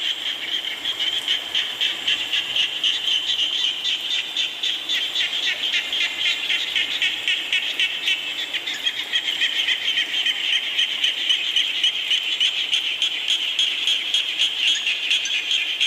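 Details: A continuous frog chorus in rain. Overlapping high, rattling pulses repeat several times a second for the whole stretch, thickening toward the end over soft background hiss.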